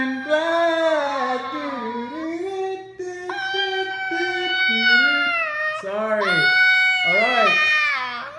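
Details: Husky giving a drawn-out, wavering vocal performance, sliding up and down in pitch with rich overtones, breaking into separate whining and yodel-like phrases over about eight seconds, indoors.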